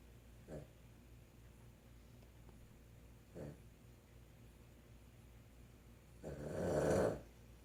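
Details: Boston Terrier snoring, mostly soft breathing with two brief faint snorts, then one loud rough snore lasting about a second near the end.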